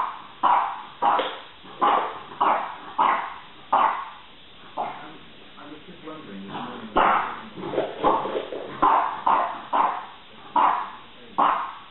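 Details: Two French bulldogs at home, the elder using her wits to get her way over her younger sister: short, hoarse barks repeated roughly every half second to second, with a stretch of whining and grumbling vocal sounds midway.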